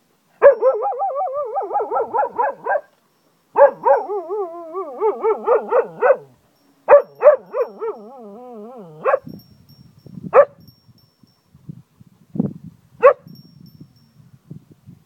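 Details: Zeeko, a pet cocker spaniel in Ajloun, Jordan, howls like a wolf: wavering, quavering mid-pitched tones in long bursts with short gaps, ending in scattered short yelps.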